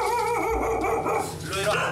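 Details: A domestic dog with strong wariness barks excessively at a visitor entering the home, barking fearfully rather than aggressively while backing away or hiding behind its owner, its voice mixed with human speech.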